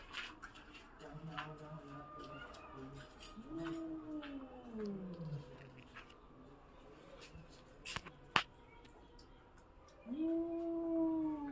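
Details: ['A domestic cat frightened by another cat utters a low moaning yowl that bends upward then sinks. It is followed by a sharp click and then a rising, sustained cry at the end, with faint background clatter.']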